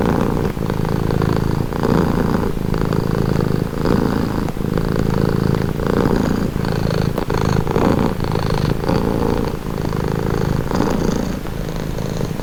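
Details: Domestic cat purring steadily, a low rough rumble that pulses in breath-length blocks of about one second, each separated by a brief dip, with a faint airy hiss above and nothing else audible.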